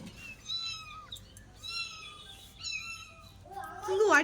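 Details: A cat cornered behind buckets in a house, about to be caught after scratching a family member; three drawn-out, level, tonal mews about a second apart, then a person's voice speaking loudly at the end.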